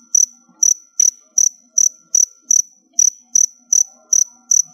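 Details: Stored crickets near their last molt call in quick, clipped high chirps, around twelve in under five seconds, evenly spaced apart from one slightly longer pause, with little other sound.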